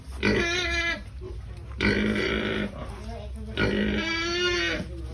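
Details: Pigs being fed, three long harmonic squeals about a second each, rising then holding, separated by short pauses, over a low rumbling background.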